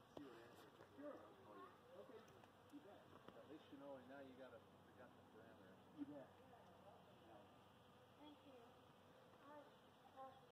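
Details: A honey bee collecting pollen on a buzzing Golden Chain Tree in a garden gives a low, wavering buzz that rises and falls as it flies close by, with faint voices behind.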